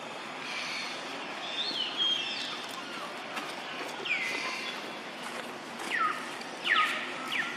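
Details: Jody, a young monkey with his mother Jane, makes noise while eating fruit, giving sharp downward-sweeping squeaks that cluster toward the end, against a constant hiss of outdoor ambience.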